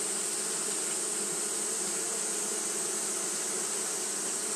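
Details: Japanese honey bees fanning through the heat: a thick, unwavering hum of many wings with a steady bright hiss on top, level from start to finish.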